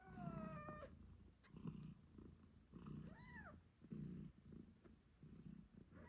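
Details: Eight-day-old British Shorthair kittens squeaking beside their nursing mother, whose deep purr throbs in regular bursts; a falling kitten mew opens, a short arched squeak sounds midway, then purring continues alone.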